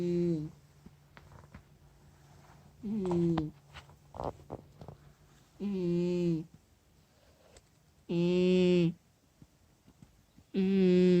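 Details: A cat snores in its sleep with loud, voiced, buzzy breaths of about one second each, repeating every two to three seconds, with faint clicks and rustles in the pauses.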